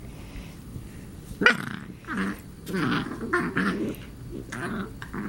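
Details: Cat at play with a companion, uttering strange 'alien' noises: a sharp squeak, then rough, throaty, growl-like rumbles repeated in uneven bursts over several seconds.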